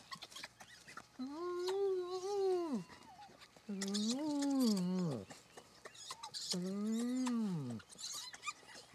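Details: Spotted hyenas at their den in Kruger National Park, South Africa, when returning family members join a mother feeding with her cubs; three drawn-out, rising-then-falling moans of about 1.5 seconds each, spaced evenly, with scuffling noises around them.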